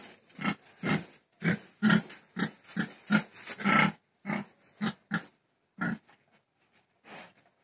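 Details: Pig producing a steady string of low rough grunts, about two per second, fading into quieter scattered grunts near the end.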